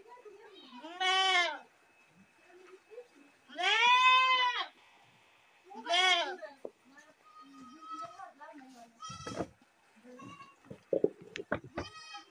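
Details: Loud goat screams: three strained, arching bleats in the first six seconds, the middle one longest, followed by softer scattered sounds and clicks.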